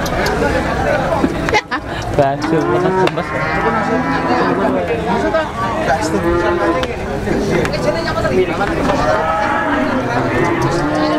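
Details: Several cattle lowing together at a busy cattle market where cows are bought and sold: overlapping moos of different pitches, some rising and falling, rolling on for about eleven seconds amid people talking.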